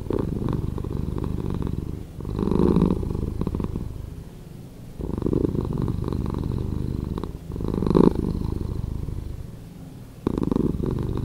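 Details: Cat purr edited to play slower, a thick rumbling vibration running unbroken, waxing and waning in regular breath-length waves roughly every two to three seconds, with brief louder bursts on the inhales.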